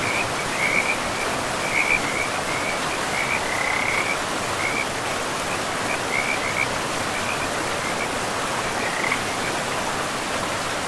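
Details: Several frogs by a river deep in pristine forest give rapid, raspy chirps in uneven bursts, denser early then thinning out, set against constant broadband rushing of the river.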